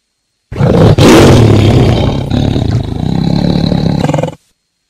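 A tiger gives a deep, rasping roar that swells loudly and then rumbles on for several seconds.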